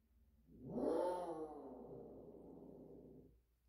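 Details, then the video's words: A cat in heat making a strange sound: one long, wavering yowl lasting about three seconds. It swells quickly at the start, then slides slowly lower and fades out. No other sounds. "고양이 이상한 소리"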